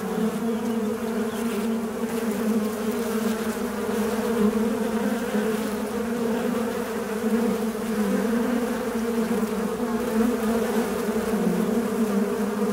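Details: Fly buzzing in a steady, unbroken drone with a low hum and a clear overtone above it. The tone wavers slightly in pitch and loudness throughout, with no other sounds.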